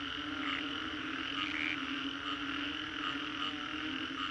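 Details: Frogs calling after a storm in Singapore's Green Corridor: a dense, unbroken chorus with a steady low droning hum beneath layered higher croaks and trills that pulse roughly every half second to second, holding an even loudness throughout.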